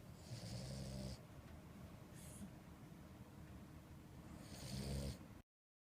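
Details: Purin, a two-year-old female French Bulldog, snoring: two long rasping snores with a deep harmonic rumble and hissy breath, one at the start and one near five seconds, a brief faint snuffle between them.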